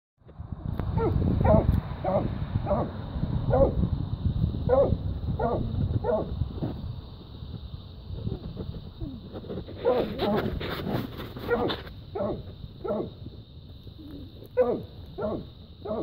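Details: Dogs barking after fighting a raccoon and treeing it, a steady run of loud, harmonic barks roughly every half second over heavy low rumbling and a constant high whine.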